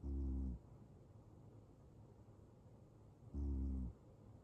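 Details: Sleeping male Ragdoll cat snoring in deep slumber: two low, rough, buzzing snores about three seconds apart, each around half a second long, separated by near silence.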